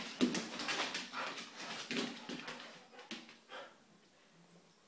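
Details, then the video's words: Portuguese Water Dogs, a pair, play fighting as they do daily: a few short growling, whimpering bursts in the first three seconds, then fading to near quiet in a small room. "Portuguese Water Dog Fight"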